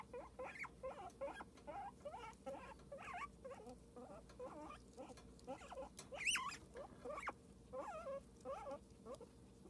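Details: Cosmo, a squeaky pet guinea pig, chirping in rapid repeated squeaks with wobbling pitch, one sharper high squeal near the middle, over a low background hum.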